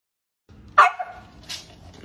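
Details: A small pet dog gives a single sharp high bark, followed by a faint softer yip and quiet background.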